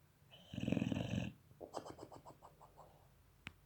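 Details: German Boxer puppy asleep, huffing and snoring with puffed cheeks; one long, rough, loud snore followed by a run of quick, fading snuffling pulses and a sharp click near the end.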